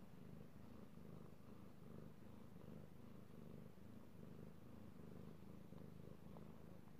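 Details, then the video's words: Male domestic cat enjoying being petted, recorded 16 March 2018, gives a rich, even low purr with gentle rhythmic swells and a small click near the end. "ASMR Cat Purring"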